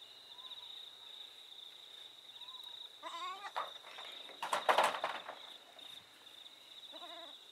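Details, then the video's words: Boer goats giving short quavering bleats, one around three seconds and a fainter one near seven seconds, with a loud rustling burst in between and a constant high-pitched whine in the background. "Boer Goats"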